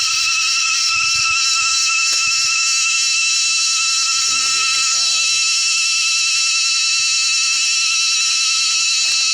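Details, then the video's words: Cicadas in a windy forest, very noisy: a dense, steady, high-pitched metallic drone with stacked shrill tones that holds unbroken throughout, with brief low rumbles of wind and handling underneath. "Kuliglig sa kagubatan napaka ingay pati hangin napakalakas."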